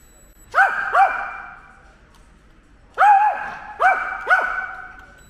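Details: Ten-year-old pet dog Ttori, who hates drones and attacks them, barking: two sharp, tonal barks in quick succession, a pause, then three more loud barks close together, each with a brief rising-falling yelp shape.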